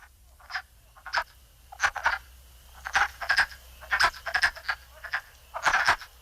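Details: Male wood frogs call at vernal pools during spring breeding: short, hoarse, clucking calls like distant ducks quacking, in a loose chorus.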